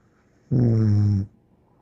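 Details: Pet dog named Bear snoring: a single drawn-out snore lasting under a second, low, buzzy and strongly harmonic, rising sharply and cutting off abruptly against a quiet indoor background.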